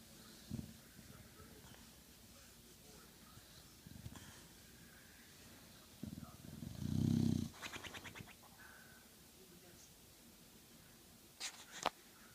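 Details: Old English Bulldog snoring while asleep: low, rough rumbling snores, one long loud snort near the middle, and a few brief scratchy noises and clicks against a quiet room background.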